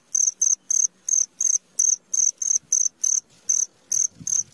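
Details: A cricket at midnight producing piercing, buzzy chirp pulses roughly three per second, slightly uneven in spacing, over a faint low murmur in the background.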